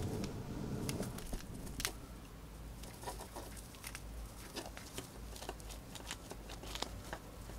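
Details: Female pet hamster gnawing a piece of dried corn, which she finishes fast. Rapid, uneven crunching clicks about two per second, with a dull rustle at the start and faint room hum throughout.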